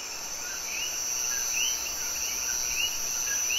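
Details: Common coquí frogs, males calling at night in Puerto Rico: a dense chorus of short upward-sweeping chirps, several a second, over a steady high insect-like hiss.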